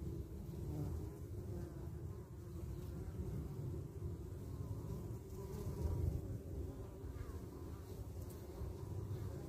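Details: Guard bees of the Carniolan honey bee defend the hive entrance from wasps; a constant deep buzzing hum, swelling slightly around the middle, with faint higher tones drifting over it.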